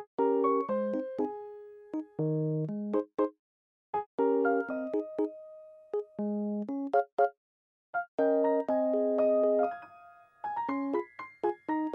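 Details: Bright electric piano melody in short bouncing phrases with brief pauses, with no animal sound present.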